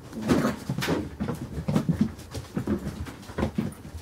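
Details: Carolina Dog puppies, five weeks and four days old, playing indoors; soft low whimpers and grunts in short bursts, with panting and scuffling throughout.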